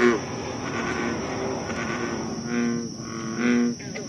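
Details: American bullfrogs at Moore's Swamp, Concord, Massachusetts, on the night of July 28, 2013, give deep, droning croaks in short resonant bursts.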